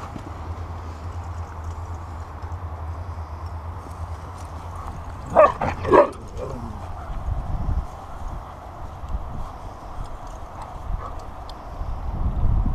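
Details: Husky named Delta at play in the sunshine, giving a pair of sharp, harmonic bark-like cries about half a second apart midway through, followed by fainter scattered vocal sounds over a steady low rumble.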